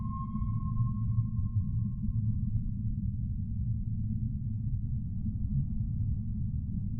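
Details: Humpback whale singing: a sustained, even tonal moan lasting about three seconds, then fading into a steady low underwater rumble with faint higher murmurs.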